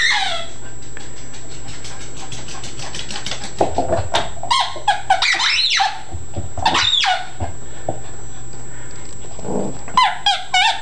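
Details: Yorkie and Chihuahua cross excited by a squeak ball inside a small room: a fast run of rapid squeaks opens, followed by shrill, rising yelps and clipped barks scattered over a low hum.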